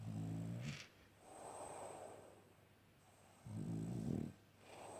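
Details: Sleeping French Bulldog gives deep, buzzing snores, one right at the start and another about three and a half seconds later, with quiet airy exhalations between them.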